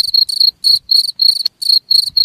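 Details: Cricket chirping, seven or so shrill ringing bursts in about two seconds, each a short clear tone with a brief click between.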